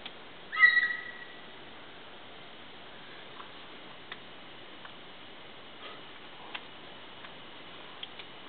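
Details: Mountain lion, likely a female, chirping from heavy brush about 150 to 250 ft away near a scrape site behind a house at night; one short whistled, chirp-like call with stacked harmonics near the start, then faint clicks and quiet background.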